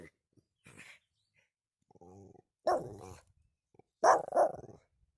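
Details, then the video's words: Pomeranian giving sharp barks, first a double bark, then a tighter burst of two or three quick barks, mixed with a person's voice and soft rustling in a small room. "Sounds of a Pomeranian"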